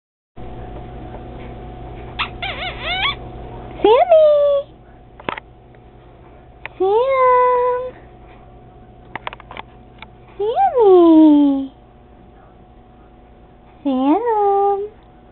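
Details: Sammy the cat, indoors beside a toilet it flushes, gives several drawn-out meows, each rising then gliding down, spaced a few seconds apart, with a person's voice calling its name between calls.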